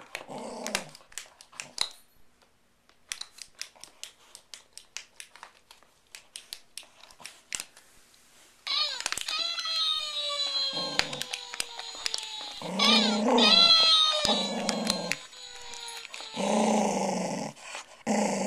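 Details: Big rescued Welsh Terrier, 37 pounds, growling at a squeaky talking toy crying out 'Oh no!'; soft clicks and crinkling first, then low rumbling growl bursts alternating with the toy's high descending wail, indoors.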